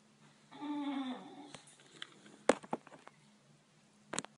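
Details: A French Bulldog puppy chasing the cursor on a TV screen up on the wall gives a brief, moaning whine that slides slightly downward, followed by sharp knocks and thumps.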